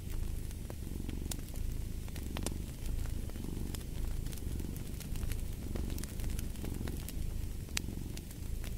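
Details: Cat purr, deep and continuous, pulsing with each in- and out-breath, while a fireplace crackles throughout with frequent bright snapping sparks.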